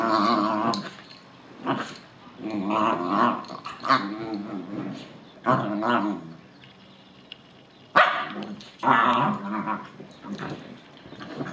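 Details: Bichon Frise dog, upset and freaking out after rain or a bath, giving drawn-out, wavering growl-whines in bursts, with brief pauses between and background music.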